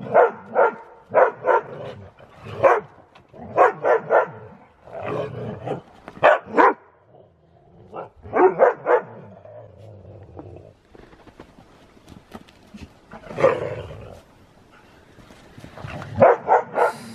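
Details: Siberian Husky racing around in fresh snow during zoomies, play-fighting with another dog. Short harsh barks come in pairs and small clusters throughout, with brief quieter gaps of rustling and scuffling between the bursts.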